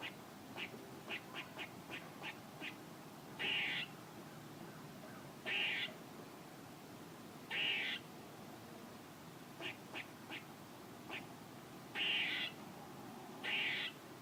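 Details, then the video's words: Vocal squirrel giving a run of quick clipped chucks, then loud buzzy half-second notes spaced roughly every two seconds, five in all, with more short chucks between them. "A squirrel making noises"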